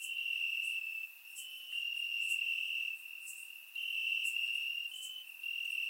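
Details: Crickets chirping in grass on a warm summer night in Bulgaria, recorded with a surround microphone: a steady high trill in long bursts broken by short pauses, with faint higher clicks above.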